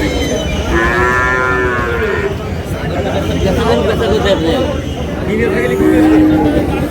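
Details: Sahiwal breed bull calves on sale to a Dhaka farmer, 16 March: a loud moo rising and holding for over a second, market chatter between, then a second shorter lowing call near the end.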